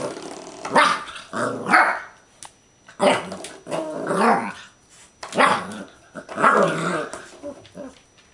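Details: Clumber Spaniel growling at a doorstop, rolling throaty growls with rising and falling tones mixed with gruff barks, about one burst every two seconds.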